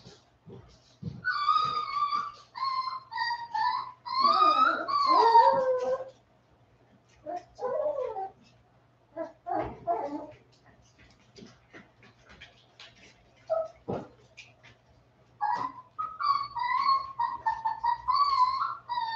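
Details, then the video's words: West Highland White Terrier puppies, 47 days old, indoors after an outdoor break, whimpering and yipping in high, wavering, harmonic cries. Bursts come in clusters separated by short pauses, with a low steady hum underneath. "Westie Puppies Livestream - 47 day old puppies"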